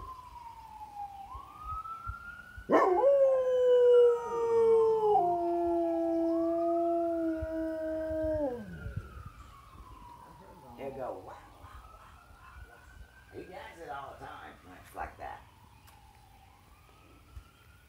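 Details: Bullmastiff howling in response to sirens: a wailing siren sweeps up and down throughout, while a loud, deep howl breaks in, holds steady for several seconds and fades, leaving the siren alone.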